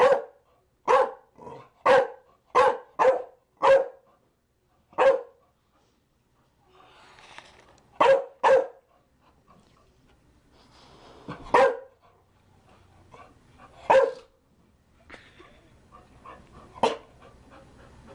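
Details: Barking Chow Chow, a quick opening string of about seven loud, clipped barks, then sparser single barks with faint background murmur and rustling in the pauses.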